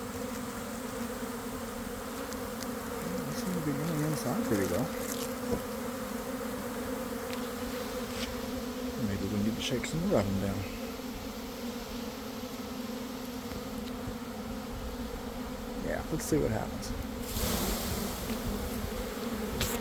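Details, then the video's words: Swarming honey bees around a garden hive at about one in the afternoon after a cold, wet week: an unbroken droning buzz with a few rising whines of individual bees and brief human voice. "Catching a Swarm in Real Time!"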